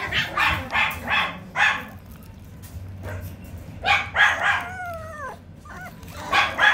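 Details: Toy poodle letting out bursts of short, sharp yapping barks in quick clusters, with a falling whine between the bursts and a final pair of yaps, with a steady low hum underneath.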